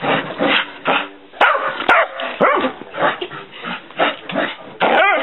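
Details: Hyper female dog dashing about indoors; loud, choppy barks arrive in uneven bursts about twice a second, some rising into high-pitched yelps, with faint thumps between them.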